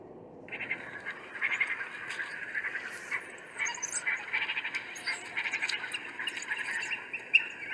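African wild dogs give a dense, high twittering chorus of bird-like chirps and squeaks.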